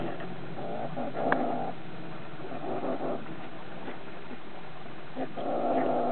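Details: Pine marten cubs at Tigh Na Creig Lodge squabble briefly over food while playing together, with rough, growling chatters in short bursts.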